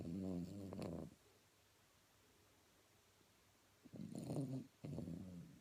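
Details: A sleeping Blenheim Cavalier King Charles Spaniel snoring: low, rumbling, harmonic-rich snores at the start and again near the end, separated by a quiet pause of nearly three seconds.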